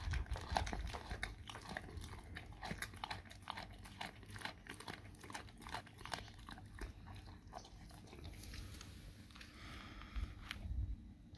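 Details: Dog chewing raw cow tongue: dense, rapid crunching and biting clicks repeated throughout, wet mastication steady for most of the recording, easing slightly near the end, over a faint low hum.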